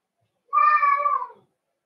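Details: Cavalier King Charles Spaniel puppies in an indoor puppy pen, being socialized with several of the kennel's older dogs; one drawn-out, high, tonal whine with clear overtones lasting about a second, then quiet.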